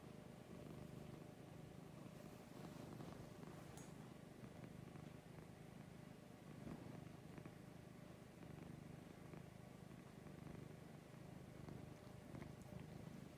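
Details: Lucy the cat purrs in the morning, a low even rumble pulsing gently and continuing unbroken, with steady background hiss and a few scattered light clicks and rustling sounds.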